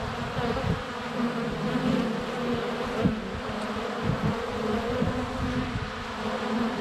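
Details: Constant whirring drone of many honey bees in flight at the hive entrance, captured on a sunny February day by a GoPro Hero 7 Black under a foot away; a low, even hum with occasional soft knocks of bees landing on the camera.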